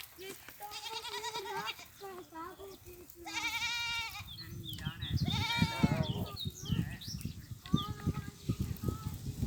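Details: Farm goats grazing alongside sheep in fields: several quavering, nasal bleats with a wavering pitch, about three distinct calls spread over the recording, with human speech and a low rumbling background.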